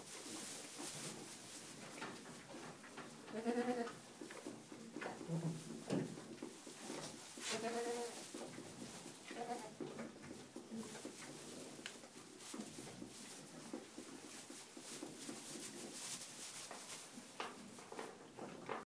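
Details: Playing young Boer goats from a breeder in Bavaria, Germany, 2011/12 offspring; several separate nasal, harmonic bleats spaced a few seconds apart, some louder and trembling, amid steady rustling and scuffling noise.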